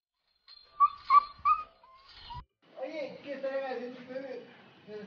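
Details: Beagle puppy giving three quick, high, clear yelps in a row, then a longer wavering, lower-pitched vocalization with a few rising and falling notes, in a quiet indoor setting.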